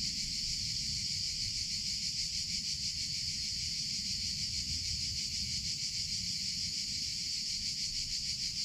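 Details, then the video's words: Summer cicadas produce a constant piercing buzz, even in loudness and pitch throughout, with low rumbling noise beneath. "CICADA SOUNDS - Sound Effect of Cicadas in Summer Sounds of Cicada (Chicharra, Campanero)"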